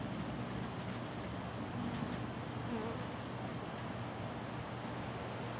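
Honey bees make a steady, low droning buzz that blends many wingbeats into one continuous hum.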